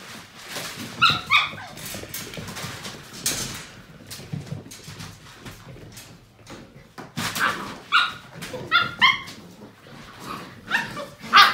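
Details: Playing Portuguese Water Dog puppies seven weeks old; repeated short high-pitched yips and squeaky whines in bursts, around one, eight to nine and eleven seconds, between rustling, scrabbling play sounds.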